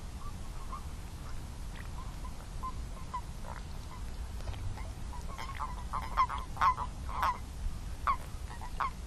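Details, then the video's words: Chorus of toads, their brief nasal croaks scattered at first and then growing louder and closer together in the second half, over a constant low background rumble. "Song of the Toads"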